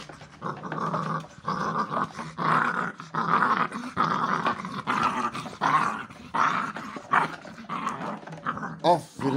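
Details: Pit Bull puppies growl in rough, rumbling bursts during tugging play, with a person's voice urging them to pull.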